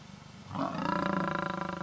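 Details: Casper the white lion, a wild lion in Kruger National Park, South Africa, on the H6 south of Satara Rest Camp, attacking the mother of his cubs; a harsh rising snarl with rich harmonics, swelling after half a second and held to the end.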